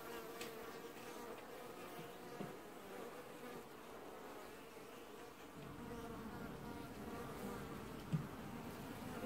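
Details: Honey bee colony washboarding at an apiary hive in early July 2019: a dense, steady buzzing hum with bands near the low and middle range, swelling slightly after midway, and a few soft clicks and taps.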